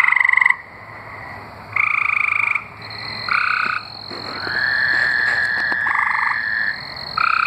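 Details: Arkansas tree frogs calling: short, loud buzzy trills at start and middle, then a drawn-out trill lasting several seconds as other frogs overlap, ending with another sharp burst.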